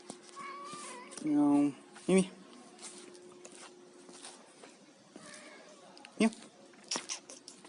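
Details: Domestic cat eating fish gives a short, loud, harmonic meow, then two brief clipped mews, among faint clicks and a steady low hum indoors.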